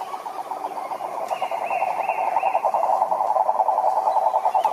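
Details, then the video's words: Several frogs calling in a pond amid rich natural surroundings, a steady dense pulsed trill in the mid range with brief higher chirping notes over it and continuous background chorus. "Sapos Cantando na Lagoa"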